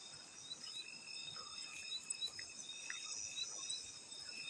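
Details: Field crickets, mixed with splashing water: a dense, continuous, high-pitched ringing trill layered in several bands, with only a few soft splashes in the background.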